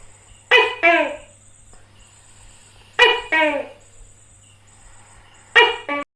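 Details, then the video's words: A tokay gecko in India repeating its double bark, a high sharp note followed by a lower slurred note, three times about two and a half seconds apart, with a low steady hum behind. "Hình ảnh và tiếng Tắc kè kêu - Picture and sound of Gecko Tokay"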